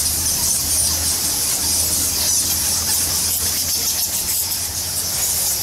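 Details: Thousands of bats roosting in Goa Lawah, a Balinese temple cave, give a dense, unbroken wall of shrill, high squeaks and chitters that sounds almost like hissing steam, over a low steady hum.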